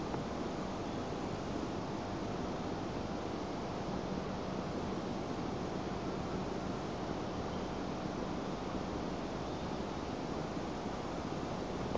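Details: Steady broadband rumble like wind or distant engine noise, with no animal calls.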